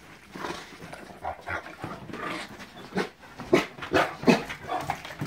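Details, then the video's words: Great Danes, including a young black Dane three weeks after arriving home, rumpusing together on a bed indoors; broken, uneven bursts of barking, growly yips and panting, growing louder toward the end. "Great danes rumpusing on the bed"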